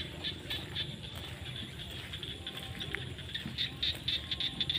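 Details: A dense chorus of frogs calls together in the fields at sunset during the rainy season, with rapid high rattling pulses repeating several times a second.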